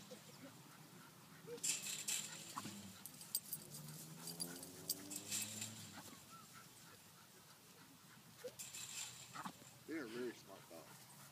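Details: Jack Russell Terrier being worn out through play gives drawn-out, high, wavering whines with stacked overtones, easing off midway and returning as short rising yelps near the end; people talk in the background.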